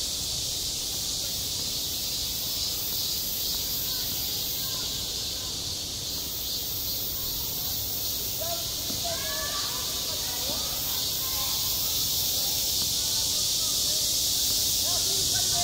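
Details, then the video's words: Cicadas at a summer school playground produce a shrill, continuous buzz with faint pulsing in its texture, growing slightly louder toward the end, over distant children's chatter. "한 여름 운동장에서 매미가 울고 있다 - 여름의 소리, 학교 종소리, 매미 울음소리"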